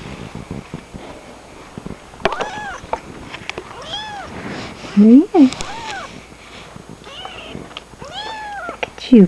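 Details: Kittens give scattered thin, rising-and-falling mews, a few loud sharp cries near the middle and end, while a woman talks gently to them over handling noise.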